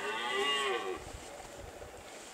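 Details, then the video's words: Red deer stag roaring during the late-September rut in the Pyrenees mountains, on summer pastures. One hoarse, harmonic bellow lasting about a second that bends up and then down, followed by quiet rustling background. "Brame du cerf"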